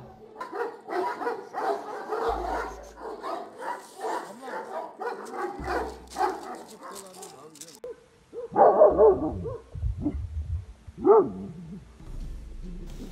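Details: Kangal guard dogs with a grazing sheep flock of nomadic shepherds, watching for wolves: a dense series of hoarse barks for about seven seconds, then scattered louder vocal bursts and low background noise.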